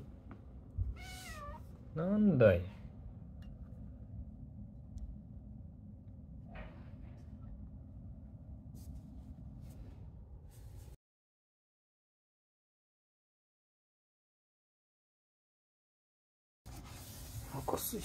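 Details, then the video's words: Female cat Matsuri, hiding behind the curtains and refusing to come out, grumbles with a pair of wavering, bending meows in the first seconds amid a human voice, then steady room hum, a soft click and a long silent gap. "なんか文句言ってる😾/She does not want to come out from behind the curtains😽"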